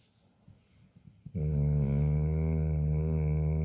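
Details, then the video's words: Large Chow Chow dog snoring in its sleep, a few soft breaths then a long, loud, steady, deep rumbling snore with a strong harmonic buzz held for over two seconds, indoors. "개 아니고 사람같은데.. (대형견의 코골이)"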